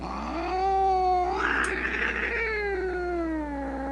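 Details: Loud, drawn-out cat meow about four seconds long, a harmonic-rich wail that climbs, swells into a strained peak midway, then slowly slides down in pitch, with a faint steady hum underneath.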